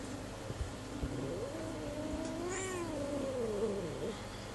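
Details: A coned cat utters a single drawn-out meow that bends up and then tails off downward. Background hum and a few knocks surround it.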